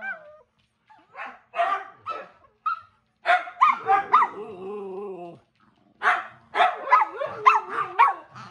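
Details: Household dogs interrupting a quiet TV evening give bursts of sharp, yelping barks, then a drawn-out whining moan, then another quick run of high yaps after a short pause.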